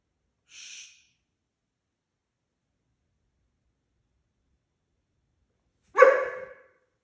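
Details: German Shorthaired Pointer puppy barking loudly early in the morning: a soft breathy sniff, a long silence, then a single abrupt, loud bark that fades quickly.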